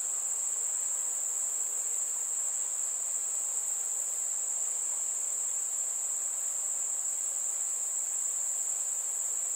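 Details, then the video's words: Crickets chirping on a warm summer evening among fireflies: a steady, unbroken high-pitched ringing trill holds one even tone throughout with no pauses, over a faint soft hiss and no other clear sounds. "Fireflies and Crickets - Calming sounds of the night"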